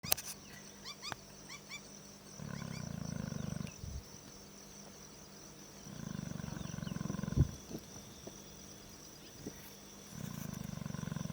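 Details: Lion snoring in Kenya: low, rasping pulsed breaths in bouts of about one to one and a half seconds, repeating roughly every four seconds, with faint bird chirps and a steady high insect hum in the background.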